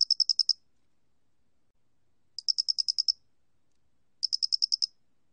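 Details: Three short chirp series from a Loxoblemmus doenitzi cricket, each of roughly seven sharp, high pulses, spaced about two seconds apart. The recording is from 2020, made by Korea's National Institute of Biological Resources, with a quiet background.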